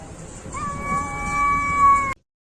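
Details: Cat's drawn-out meow rising at the start then holding a steady, slightly wavering tone for over a second before cutting off abruptly into silence.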